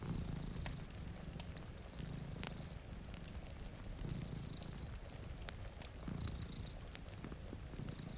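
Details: Two domestic cats asleep by a rain-streaked window purr softly, a deep throbbing rumble pulsing in regular waves, while a fireplace crackles and rain patters in the background.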